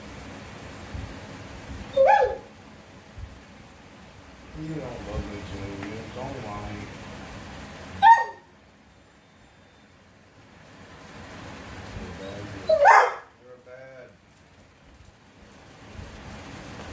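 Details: Pet dog vocalizing to its owner as if talking; three loud, short yowling bursts about five seconds apart with softer murmuring moans between them, and the owner's voice speaking nearby.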